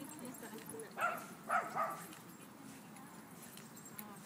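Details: Dogs at play in a dog park on the grass give two or three clipped barks close together midway through, over steady background murmur and voices.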